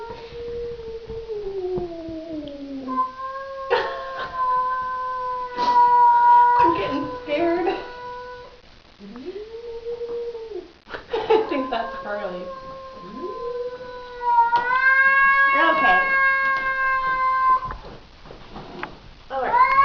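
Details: Domestic cat meeting another cat, tail fluffed up: several long, level moaning yowls between stretches of worried human talk and one short, falling wail.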